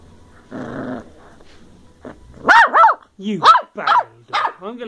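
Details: Ten-week-old female Bedlington Terrier puppy of working strain from South Wales, playing and chewing carpet in December 2013: a person speaks, then a run of sharp, high puppy yaps and rough growly barks.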